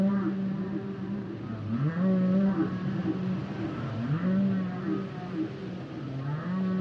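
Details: Humpback whales singing: long low sustained moans with rising swoops into steady hummed tones, repeated about every two seconds, layered with fainter higher tonal calls and a constant underwater rumble.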